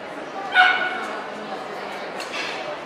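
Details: At a dog show in Ostrava, 12 April 2014, a Cardigan Welsh Corgi gives a single short, bright bark about half a second in, set against continuous murmuring voices and indoor crowd noise.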